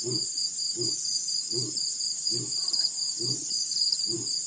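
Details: Male lion at Mashatu Game Reserve's Pete's Pond, Botswana, December 2016, ends its roaring bout with six short, deep, regularly spaced grunting huffs, set against an unbroken high-pitched cricket chorus.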